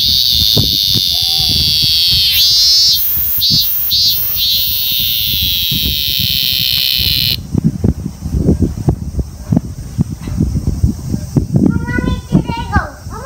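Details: Cicadas in Japan buzz in a loud, steady, high-pitched drone that stops abruptly, followed by voices and background noise.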